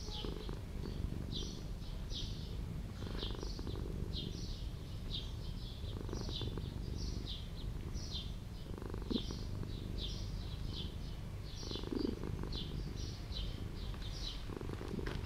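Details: Quiet purring from a street cat in an old house, with soft low rumbles every few seconds. Repeated bright bird chirps run almost constantly above the purr.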